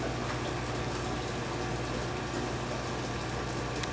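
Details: A steady mechanical hum with a low engine-like drone and broadband hiss; no animal calls stand out.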